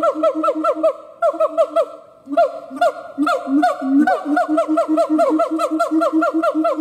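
A siamang gives a rapid run of loud, harsh barking hoots with a honking, nasal ring.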